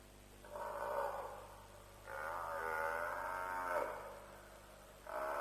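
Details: African buffalo at a lions' kill at Djuma around 3:00am, 07/03/07, captured on a live wildlife stream: three drawn-out, harmonic, moaning bawls, the middle one longest and wavering, over a steady low background hum.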